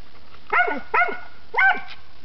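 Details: Squirrel dog baying at a treed squirrel in South Dakota, 2006-2007 hunting season: three short sharp barks, two close together and a third after half a second, with a man praising the dog.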